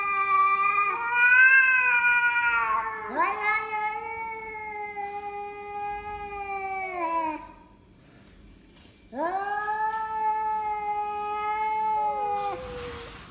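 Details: House cat calling with three long wailing meows, rising at the onset and sagging slightly at the end, with a silent pause before the last one and a faint scrape at the close.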